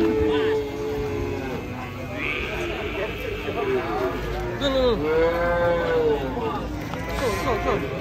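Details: Mooing cattle with arching, higher-pitched calls overlapping one another, mixed with faint human voices and low rumble beneath.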